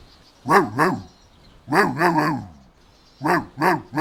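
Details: Playful Golden Retriever puppies outdoors on a meadow; clusters of two or three hoarse, bouncing barks separated by short pauses, fairly loud and close.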